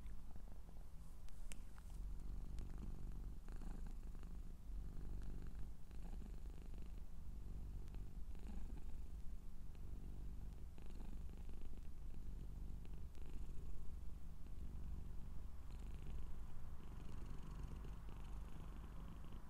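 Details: Long, even purring from a Scottish Straight cat, a quiet low rumble holding steady throughout, with only faint scattered clicks and rustles.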